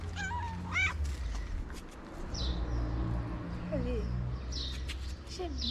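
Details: Stray kitten on a Moroccan street meowing for its mother cat, who was out looking for food: a few short, high, wavering meows at the start, then fainter cries, over steady low traffic rumble and a man talking.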